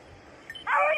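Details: Beagle of red-blue tick or lemon-white colouring on hare hunting practice on Crete in 2022: a faint metallic tinkle, then a sudden loud, harmonic-rich bay lasting about half a second.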